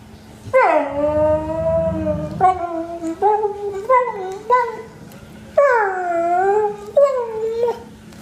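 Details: Grouchy pet dog talking back with a long whining howl that slides downward, then a string of shorter moaning, bending whines rising and falling in pitch, with a faint steady hum underneath.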